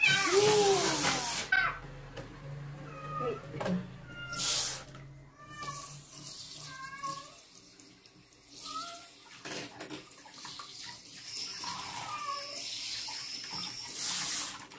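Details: Female stray kitten, taken in from construction workers, given her first bath at night; she gives a run of short, bending meows, several per few seconds, over bursts of splashing water and a person's brief voice.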